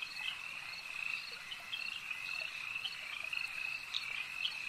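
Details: Lakeside frog chorus: many overlapping high, rapid croaking trills merging into a constant buzzing wall of sound, with brief sharper notes popping out.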